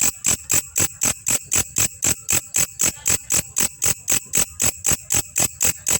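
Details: Grasshopper (belalang kecek) used as a master recording for training champion songbirds; loud, dry pulses repeated steadily about four times per second, each a sharp broadband click with a high ringing tone, no other sounds.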